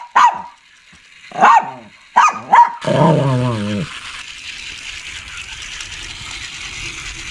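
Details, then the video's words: Shih Tzu giving a run of four quick, sharp barks, then a short throaty growl that fades into steady background hiss. "Shih Tzu Barking And Growling"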